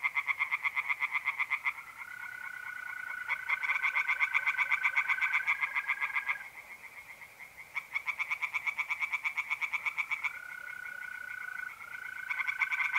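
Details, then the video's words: A pond in north-east Italy on a mid-April night, where tree frogs give bursts of fast, rattling pulsed calls that stop and restart. A sustained, even mole cricket trill fills the pauses. "relaxing singing tree frogs in pond"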